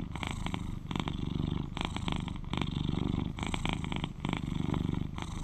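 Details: Close, loud purr from an 11-year-old male British Shorthair kept indoors as a companion, a continuous deep vibrating drone broken into breath cycles, with brighter rasping pulses about every 0.8 seconds.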